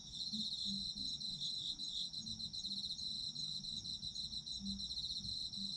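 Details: Dense autumn insect chorus, bright high pulsed trilling running throughout over a sustained ringing tone, with soft low tonal blips in the background.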